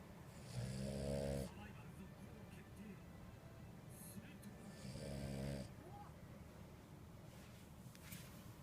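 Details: Two-year-old female French Bulldog Purin snores in a quiet room, giving two coarse, vibrating snores about four seconds apart, the first longer and stronger, with faint background noise between.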